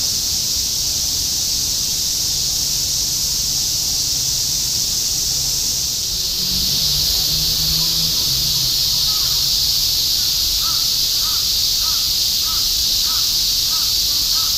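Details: Summer cicada chorus in Shinjuku, Tokyo, 2016, a steady high hissing drone; partway through a low engine-like hum passes and a series of short, evenly spaced chirps repeats about twice a second near the end.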